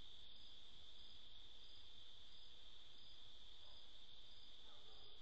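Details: Crickets chirp in a steady, high, unbroken trill that runs throughout, singing at night.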